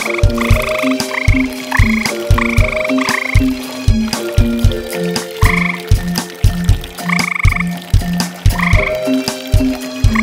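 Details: Two tree frogs around a pond at night, calling almost all night long; bursts of short low croaks repeat steadily while background music plays with held notes and bright stabs.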